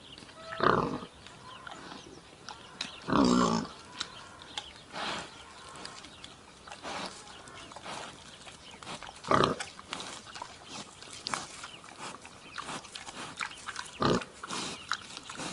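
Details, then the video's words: Wild boar giving irregular loud grunts and snorts, spaced a few seconds apart, with quieter grunting and rustling between them. "ЗВУК КАБАНА | Який звук видає кабан"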